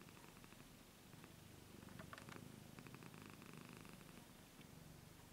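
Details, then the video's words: Steady, low pulsed purring from a domestic cat aged 15 years, breath cycles audible, with a brief rustle in the middle. "Purring 15 Years Old Cat"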